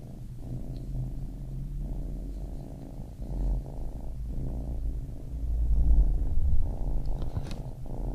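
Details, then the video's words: Baby kitten purring closely, a deep throbbing rumble in uneven breath cycles that grows louder toward the end. "Baby Kitten Purring"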